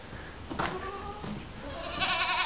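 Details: Goats on a goat farm, heard inside the barn among teenage and adult goats; a short nasal wavering bleat with stacked harmonics near the start, a second bleat around the middle, and rustling and hiss as the recording moves through the barn.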